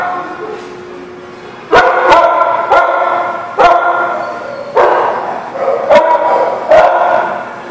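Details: Barking dog at The Barking Lot, recorded 15 September 2018: after a quiet start, a run of forceful, ringing barks about once a second, each with a rich tonal core and abrupt onset.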